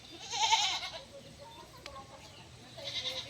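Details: Farm goats kept inside a shed, with their names being listed; a wavering bleat near the start, then a quieter stretch, and a second bleat toward the end, over a faint background hiss.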